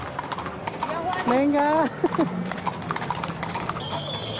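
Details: Horses in a horse and carriage parade on Extremadura Day at Parque Divino Morales, Arroyo de la Luz, 8 September 2014: irregular clip-clop of hooves with a brief tonal whinny-like cry amid crowd voices.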